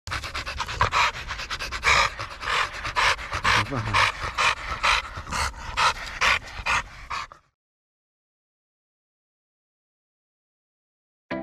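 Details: American Bully dog panting rapidly and evenly, about two breaths a second, for seven seconds before the sound cuts to silence.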